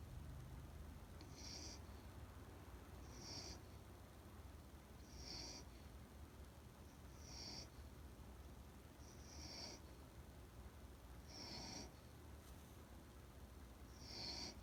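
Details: Rintaro, a Standard Poodle, snoring in his sleep. Steady, breathy snores with a thin nasal whistle repeat regularly about every two seconds, seven in a row, against a faint low indoor background.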